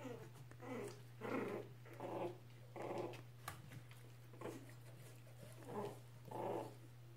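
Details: Norwich Terrier puppies from one litter growling while playing indoors: about eight short, rough, noisy bursts, roughly one every second, fairly soft, over a steady low electrical hum.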